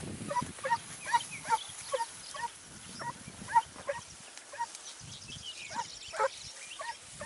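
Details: Segugio Italiano hounds at Sofiko, Evros, recorded 29 May 2019, barking in short, fairly distant yelps spaced unevenly about every half second, with a brief pause midway and steady outdoor hiss throughout.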